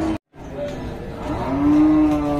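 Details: Cattle at Dhaka's biggest weekly cattle market in Bangladesh, 24 September 2022: after a brief silent gap, a low, steady, drawn-out moo swells and holds its pitch, amid crowd murmur and a buyer asking the price in Bengali.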